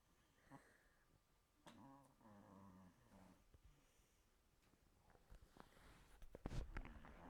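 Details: Chihuahua snoring indoors; quiet, nasal, slightly whistling snore breaths around two to three seconds, followed by faint rustling and clicking sounds toward the end.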